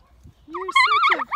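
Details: A female alpaca on a farm in County Kilkenny, Ireland, "sings," giving a brief nasal, wavering hum that rises and falls in pitch.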